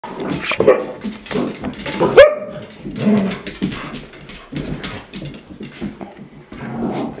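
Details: Red Standard Poodle mother trying to discipline her puppies indoors: sharp, irregular barks and yelps, roughly forty a minute, mixed with higher squeals and a rising whine, with a person's voice in the background.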